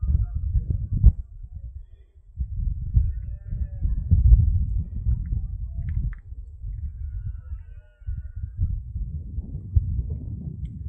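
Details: Berrea of red deer in the Sierra de Andújar on 10 September 2024 at five in the afternoon, rutting season: long, deep groaning roars in several drawn-out bouts separated by brief lulls, faint birdsong overhead.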